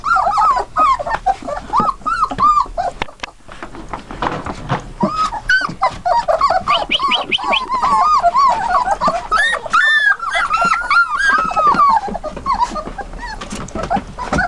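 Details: Litter of 21-day-old Dutch Shepherd × German Shepherd cross puppies from working lines; continuous overlapping whines and squeaky yelps, arched rising-falling cries, several pups calling at once, with brief rustling and handling noises.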